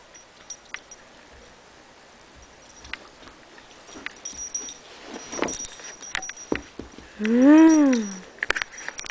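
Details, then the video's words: Pet Pembroke Welsh Corgi whining when its owner won't play ball: one loud, drawn-out, tonal whine that rises and then falls, coming after a stretch of soft clicks, taps and rustling indoors. "corgi's silly barks"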